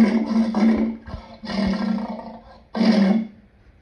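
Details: Lion giving three loud, rough roaring bursts, each under a second long and centred low with a broad raspy spread above, separated by brief quiet gaps.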